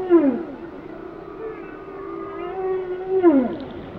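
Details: Whale song phrase: a swooping tone that drops sharply, then a long level moan with harmonics, ending in another steep downward sweep, set against a soft wash of background noise.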